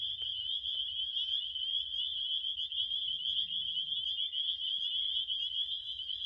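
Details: Crickets in a relaxing nap recording, a steady, unbroken high-pitched trill holding one shrill tone throughout, with a faint low rumble beneath.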